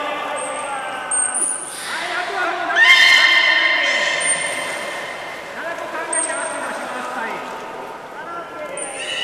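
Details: Captive beluga moving between pools at Port of Nagoya Public Aquarium, 11 August 2018, as an attempted swap of Nana and Hodoi ran out of time. Several very high thin whistles repeat, with a loud buzzy harmonic call near three seconds amid background voices.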